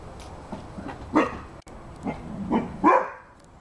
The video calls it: Rhodesian Ridgeback dog barking